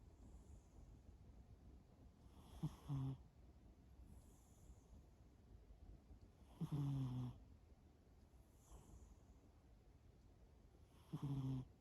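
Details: Cat Shimao asleep and snoring: three low, grating snores spaced roughly four seconds apart, each a short buzzy drone, with faint breaths in between in a quiet indoor setting.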